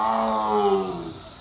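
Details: A tiger at Louisville Zoo in spring 2021 gives a deep, drawn-out roar that slides gently downward in pitch.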